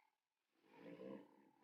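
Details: A lion in South Africa gives a short, low, rumbling roar that swells from silence and then fades, with no other sounds clear.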